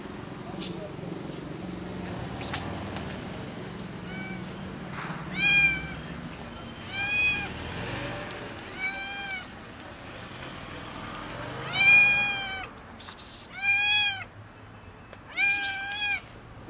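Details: Hungry, skinny kitten crying out loudly for food, a run of bright, harmonic-rich meows that grow louder and more frequent in the second half, with brief rustles and low murmuring voices underneath.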